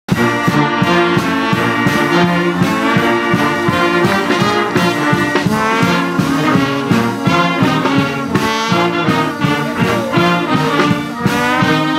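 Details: Brass band music with trombones and trumpets playing a lively swinging tune throughout, no animal sounds audible.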